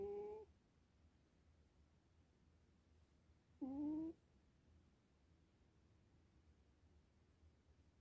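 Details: Softer snoring from a sleeping Sphynx cat: a clipped snore at the start, then one more reedy, upward-sliding snore near the middle, followed by several seconds of quiet room tone.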